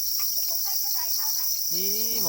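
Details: Black crickets, or para crickets, crying angrily for their eggs: an unbroken, piercing high-pitched trill holds steady, with faint murmuring and a short voiced sound near the end.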